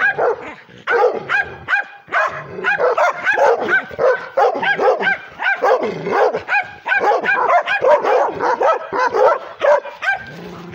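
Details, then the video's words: A pit bull crossed with Redbone Coonhound, a female, barks angrily toward the camera, a dense stream of sharp, harmonic yelps and barks in quick bursts, briefly pausing near the start, then sustained with strained, whiny edges. "Pitbull (Redbone Coonhound mix) aggressive barking"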